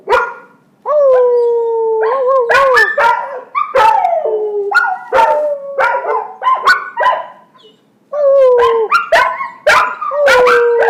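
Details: Two young pet dogs, Jagger and his younger brother Sasha, learning to howl with their owner joining in: long, smooth, mid-pitched howls that bend and waver, broken up by sharp yips and short barks, with brief quiet gaps.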